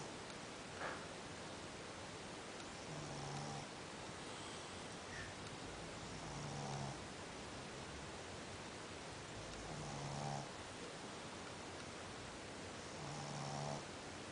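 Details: Sleeping dog snoring like a human: a buzzy snore with a low hum and a higher rasp, repeated about every three and a half seconds, over a steady hiss of background noise.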